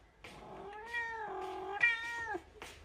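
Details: A cat from a big-faced cat family gives one long, drawn-out harmonic meow of about two seconds, holding steady pitch with a slight dip before trailing off, then a brief faint second call.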